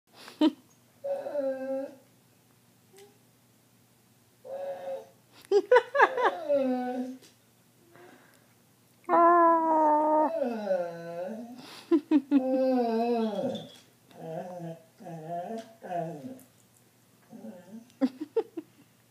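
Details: Female dog vocalizing indoors, as she does every night while the TV is on: a chatty, screechy run of drawn-out harmonic whines and yowls rising and falling in pitch, some bending like talking, in uneven bursts with short pauses.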